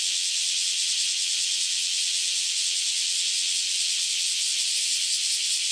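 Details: Cicadas just emerged from years underground, massed into a continuous piercing high hiss with no clear pulse, a dense even wall of insect noise.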